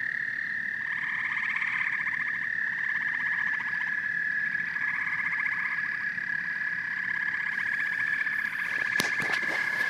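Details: Chorus of frogs and toads, a constant high trilling drone overlaid with pulsed croaking phrases that come in repeated bursts, and a few sharp clicks or knocks near the end.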